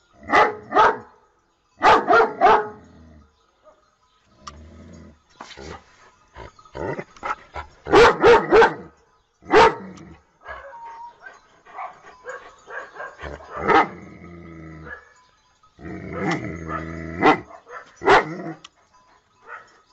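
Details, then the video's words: Dog giving clusters of loud barks in pairs and short bursts, separated by quieter stretches of softer yips, whines and background sounds. "Most funny dog barking videos compilation"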